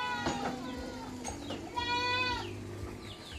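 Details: Goat on a backyard farm, one loud harmonic bleat rising then falling over about half a second, with fainter wavering bleats and low rumbling background noise around it.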